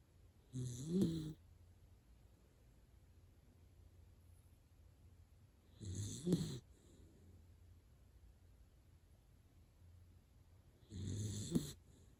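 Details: Deeply asleep Dachshund snoring heavily: three rough, low snores about five seconds apart, each a short rumbling breath with a breathy hiss, separated by quiet pauses indoors.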